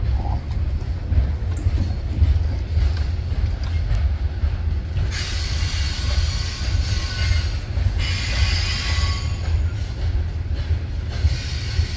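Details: Loud low rumbling noise runs throughout, broken by bursts of hissing spray, with no animal voice.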